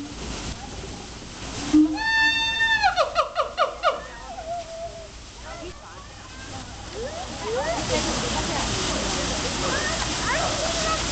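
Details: Siamangs at Memphis Zoo calling to each other, heard from a distance: a long level hoot, then a rapid run of falling, repeated whoops with strong harmonics, fading into scattered softer rising calls over a background of splashing water and voices.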